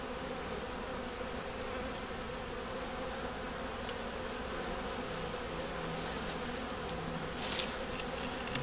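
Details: A winter nuc of honey bees with a yellow queen, eggs and brood, buzzing during a hive check: a constant droning hum holds steady, broken near the end by a few sharp clicks from handling the frames.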